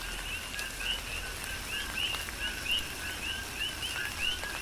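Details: Coqui frogs calling through a tropical rain shower on the Big Island of Hawaii; repeated short chirped two-note calls, high and rising, from several frogs overlapping, with steady rain hiss and patter underneath.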